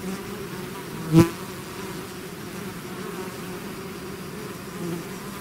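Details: Continuous low drone of a bee swarm out of its hive, stacked humming tones holding steady, broken by one sharp click or tap just after the first second and a faint louder buzz near the end.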